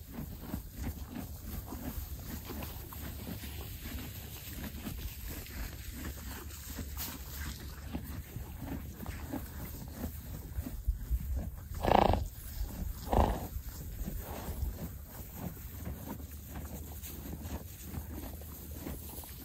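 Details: Horses munching hay on a ranch near Vernon, British Columbia, Canada: steady crunchy chewing throughout, broken by two loud, breathy, noisy snorts in quick succession partway through, with a low rumbling outdoor background.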